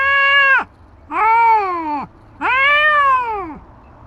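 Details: Stray tabby facing off with a white cat, Dabai: three moaning yowls about a second each, each bending upward and dropping away sharply at its close. Low background murmur between them.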